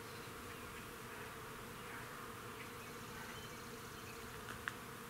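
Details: Bees busy at work in a crab-apple tree in a front yard; a steady, dense, unbroken buzzing hum from many insects, with a brief click near the end.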